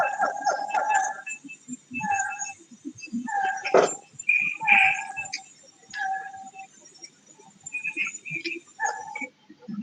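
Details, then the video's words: A recording of a siamang song is played back. It is the largest gibbon, and its song is audible 3 to 5 km away in Peninsular Malaysia's forests. Evenly spaced hooting notes are broken by abrupt loud barks and a rising whoop partway through. "Okey adik-adik, itulah cara siamang menyanyi."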